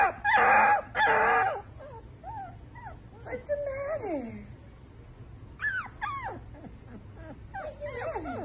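A husky puppy gives thin, wavering howls that rise and fall in quick, squeaky bursts.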